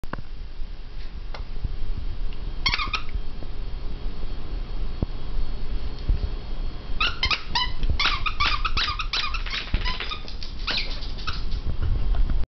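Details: Foster puppies indoors: clusters of high, squeaky whines and yelps, one brief burst early, then rapid repeated squeals over the last five seconds, over steady low background rumble.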